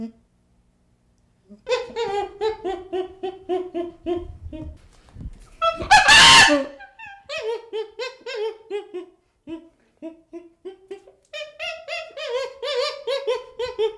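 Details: Young chimpanzee calling: strings of plaintive, wavering whimpers in a steady series. One loud harsh outburst comes midway, and the whining carries on afterward, with short gaps between phrases.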